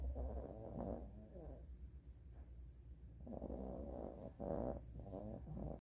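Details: Maltese sleeping on a bedroom blanket after eating its fill; a series of rough, buzzing snores in uneven bursts, with a pause in the middle, over a constant low hum.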